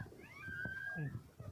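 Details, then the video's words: Dog at a rain-flooded drain in Sripuram, Tirunelveli Town, where two mother dogs cried as their newborn puppies began sinking; a single thin, steady high whine holds for about half a second amid low human voices. "நீருக்குள் மூழ்க தொடங்கிய நாய்க்குட்டிகள் கதறிய இரண்டு தாய் நாய்கள்"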